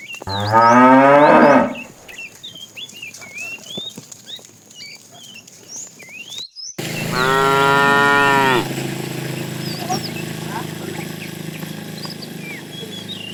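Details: A fat cow among tame cattle being herded in the afternoon calls the female with two moos: a brief falling one at the start, then after a pause a longer steady bellow of nearly two seconds, with birds chirping between.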